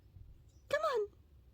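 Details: Wild cat that has wandered around a home for almost three years, now fed and coaxed with treats, gives a single short meow that rises then falls, lasting under half a second against a quiet background while a person urges it on.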